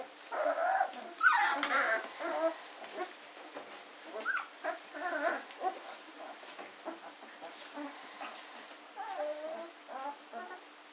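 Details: German Shorthaired Pointer puppies aged 14 days, recorded 24 August 2016 at a gundog kennel; a litter's continuous chorus of short overlapping whimpers and squeaks, loudest near the start, then a steady murmur of small cries.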